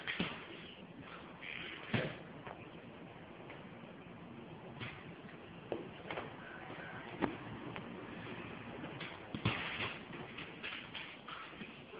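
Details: Soft indoor rustling and shuffling with occasional knocks and a door-like thud, low steady background hiss, no clear animal voice.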